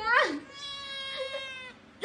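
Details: Cat giving a loud drawn-out meow that starts high, drops and holds a wavering tone for over a second, ending abruptly with another sharp sound.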